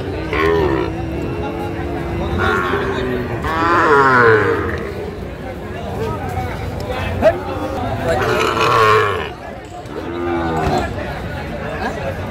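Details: Sahiwal bull calves at a Madaripur cattle market on 30 November 2024 while buyers bargain: two long, low, harmonic moos rise and fall, around four and nine seconds, over steady crowd chatter and bargaining voices.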